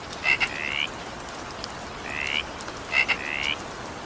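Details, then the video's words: A frog calls through evening rain: a double click followed by a short rising tonal note, repeated three times in four seconds, with rain hissing throughout. "20 minutes evening rain sound effect with frog sound."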